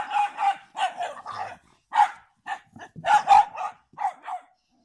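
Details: Barking from a Standard Bull Terrier and American Bulldog, a rapid run of hoarse, clipped barks, often doubled, broken by a brief pause before another burst of louder barks.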